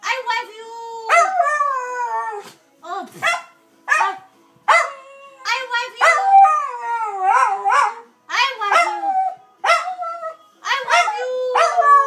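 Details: Dusty, a Dachshund, howls to his owner as if saying "I love you": repeated wavering, melodic yowls with rising and falling tones in bursts of one to two seconds, short pauses between, some vocal warbles and breaths.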